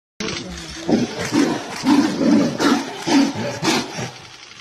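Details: Tiger giving a series of rough, low, pulsing roars, about one burst every half second, rising and falling in loudness throughout.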